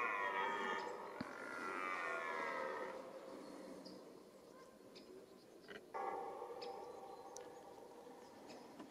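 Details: Roaring red deer in the mating season rut. A drawn-out harmonic roar rises and falls over the first three seconds, followed by quieter background. A second, shorter roar begins around six seconds and fades away.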